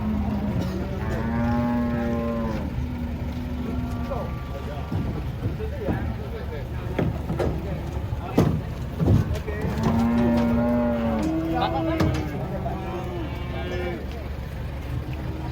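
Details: At a market where cattle are unloaded from a truck, two separate low, drawn-out moos rise above steady crowd voices, clanks and vehicle noise.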